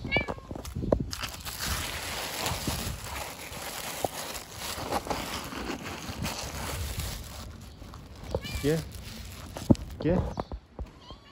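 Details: A playful white kitten gives a few short, arching meows at the start and again near the end, with a person talking in Turkish almost throughout and some outdoor rustling.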